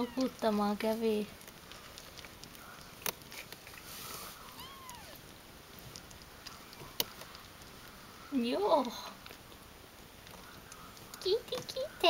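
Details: Ragdoll kittens, 17 days old, indoors: a few short, curved, wavering mews in a brief cluster past the middle and again at the very end, after a voice speaking at the start and long quiet stretches.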